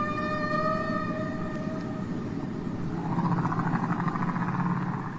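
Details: Humpback whale song recorded off Bermuda in the 1960s and released on a record: a long, steady moaning tone with rich overtones, then a rising, swelling wail likened to a child crying.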